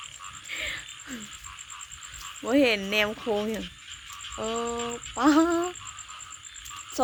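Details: Frog calling outdoors in the countryside: a series of about six nasal, harmonic croaks, some short and bent, others drawn out and steady, spaced irregularly over seven seconds, with a continuous high-pitched insect hum behind them.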